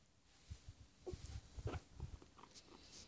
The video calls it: Cobaya haciendo sonidos de gustito